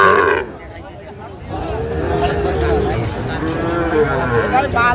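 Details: Sahiwal bull calf being sold at a rural livestock market in Madaripur, Bangladesh, 30 November 2024; one long, level, deep moo held for nearly three seconds, with buyers and sellers talking around it.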